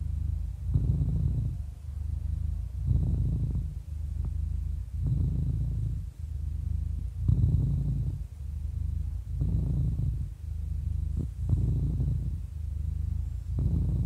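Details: Contented domestic cat aged 11 purring steadily; low throbbing rumble rising and falling with breathing about every two seconds, around seven swells over fourteen seconds.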